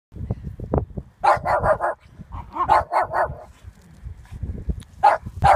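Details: A Lhasa Apso barks at a horse in quick, sharp bursts, some doubled, with brief pauses between.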